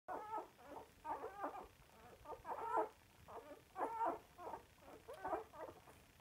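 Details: Samoyed dogs singing little songs while they eat: short bursts of throaty, whining, grumbling vocalizations repeated roughly every half second to second, rising and falling in loudness, with quiet gaps between phrases.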